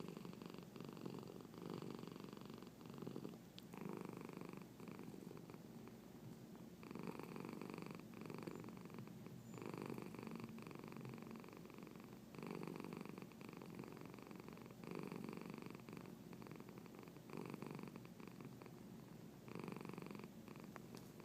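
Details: A cat named Marnie keeps up a long, continuous purr while hiccuping indoors; the buzzy rumble pulses in regular loud-soft cycles of about two seconds throughout.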